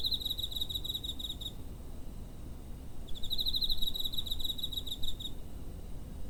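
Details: Cricket chirping close to home on 7 September 2023, captured with a TASCAM DR-05; two bursts of quick pulsed trill, about one and a half and two seconds long, with a gap between, over low-pitched environmental rumble.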